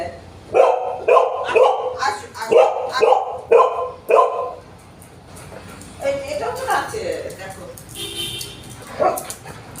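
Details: Pet Golden Retriever at home, jealous and uncomfortable while another dog is petted, barks in a quick run of sharp, loud yaps about twice a second, then falls quiet under people talking in Bengali.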